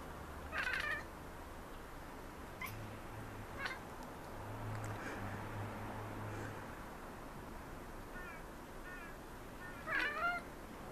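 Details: Three pet Maine Coon cats chattering at city birds; short bursts of chirpy, clipped cat vocalizations near the start and again around ten seconds, with a low steady hum between them.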